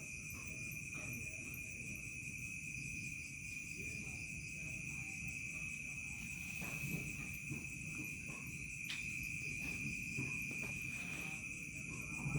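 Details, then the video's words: Village crickets chirping at dusk as night falls, one unbroken high-pitched ringing tone under fainter pulsing trills, a few short clicks and a constant low rumble beneath. "SUARA JANGKRIK SENJA MENJELANG MALAM"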